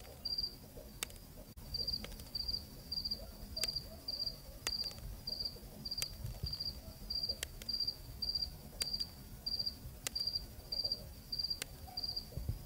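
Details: Cricket at night in Zambia, producing regular high-pitched pulsed chirps roughly one hundred per minute, each a short trill, with intermittent crisp clicks and a faint low rural ambience.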